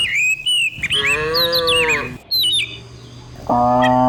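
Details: Cows herded by the dozen down a country hillside in the morning; a long wavering moo lasting over a second, then quiet, then another moo begins, with bird chirps and twitters mixed in.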